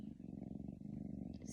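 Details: Sleeping cat snoring in a brief stretch, a low fluttering rumble with rapid pulsing texture, steady in loudness, ending with a faint higher hiss.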